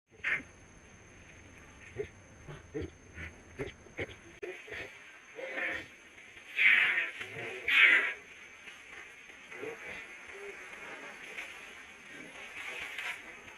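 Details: A young monkey gives shrill, wavering distress screams, with two loud peaks among shorter cries, after being attacked and bitten by another monkey.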